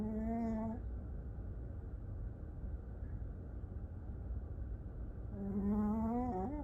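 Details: Snoring from a sleeping dog: a humming, nasal snore fades out at the start, then after a quiet stretch of steady low rumble a second snore swells and rises before cutting off.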